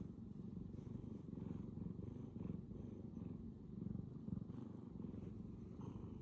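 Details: Bengal cat purring loudly at full power, a steady low rumble with rhythmic pulsing swells roughly every second, close to the microphone, no other sounds.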